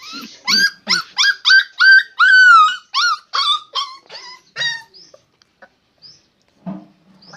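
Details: Dog giving a quick run of about ten high, ringing yelps over five seconds, each with a short rising or falling bend, one held longer and sliding down, then near silence with a faint late call.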